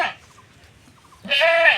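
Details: Village goat in rural Bangladesh that wandered onto someone else's grass: a brief bleat tail at the start, near silence, then a loud, nasal, harmonic-rich bleat held for about half a second.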